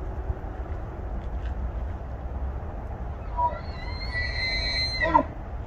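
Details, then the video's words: Wild bull elk in water with a large herd of elk, bugling in response to another bull and toward a female; a high, clear whistled bugle of about two seconds climbs then holds steady before dropping abruptly, over low rumbling background noise. "Elk calls in the wild (Bugling)"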